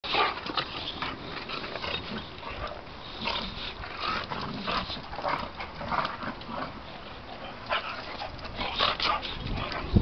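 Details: Two Boxer dogs, Willow and Charley, playing together, with scattered short growly and yippy sounds repeated through the stretch over a steady background hiss.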